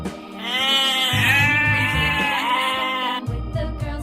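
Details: Sheep giving one long, drawn-out bleat of about three seconds, steady then wavering and dipping near the end, over rhythmic background music with a low beat.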